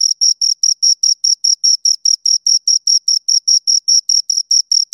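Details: A pair of crickets gives brisk, evenly spaced high chirps, roughly four to five pulses per second, loud and clean with no other sounds around them.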